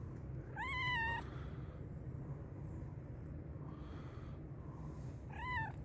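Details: Very hungry black and white cat meowing loudly, a clear arched meow near one second and another at the end, fainter call between, over constant low hum.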